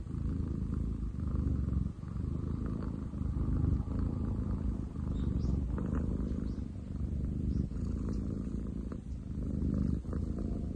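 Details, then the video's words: Male long-legged munchkin named Ten chan purring as loud as a construction site, 30 July 2023; a sustained low, throbbing rumble with regular breath-linked swells and brief dips between them. "工事現場並みに喉を鳴らす猫。Cat purr like construction site!?"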